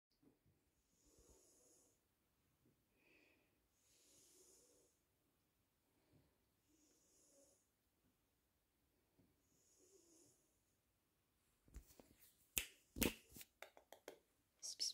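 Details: Exotic Shorthair kitten snoring softly: breathy, hissing snores come roughly every two to three seconds, each a low wheeze with airy upper hiss, followed near the end by sharp clicks and rustling handling noises.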